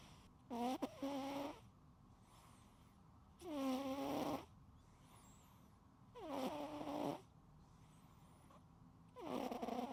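A sleeping cat snores in slow, rasping breaths, each one a loud nasal rattle about every three seconds.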